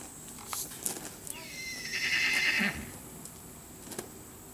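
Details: A female horse, restless and trying to get out, gives one high, quavering whinny of about a second and a half that slides downward. Scattered knocks and clatter come from around it in an enclosed space.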